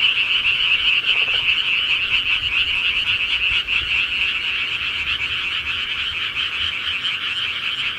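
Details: Countryside frogs in full nocturnal chorus, rapid rattling croaks blending into a constant high drone, with a short lower pulsed trill just after one second.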